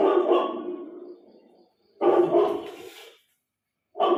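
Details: Four-month-old Indian native puppy barking at his own image on a TV screen; loud, harsh barks trailing into a fading growl-like tail, another bark about two seconds later and a third near the end.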